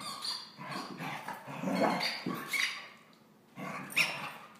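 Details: Shadow, a female Border Collie available for adoption, who was the runt of her litter and spent her puppyhood tethered in a small pen, gives a few short rough barks between a person's voice telling her to sit.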